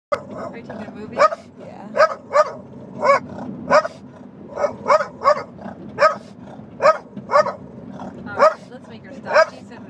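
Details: Pet dog in a car barking protectively at a big, yellow, noisy jet ski on a trailer following behind: steady, fairly deep barks repeated about every half second to second, over a low rumble of road noise.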